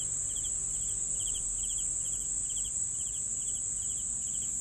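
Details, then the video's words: Cricket chirping steadily: short, pulsed high chirps repeated about twice a second, roughly ten in under five seconds, over a constant shrill insect hiss higher up and faint low rumble. "CRICKETS SOUNDS"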